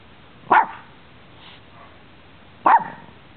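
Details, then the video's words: Two abrupt barks about two seconds apart during a play session among four pet dogs in Bonita Springs, Florida, December 2011, with a near-silent pause between them. "WHEN DOGS INTERACT - WRESLING BITING LICKING BARKING PLAYING SNIFFING SNEEZING"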